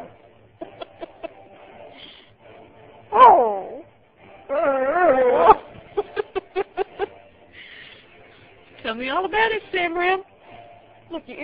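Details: A female Beagle-Husky mix dog gives short, wavering, yodel-like semi-howls, asking for something she wants, with a person talking softly; a golden retriever is also present.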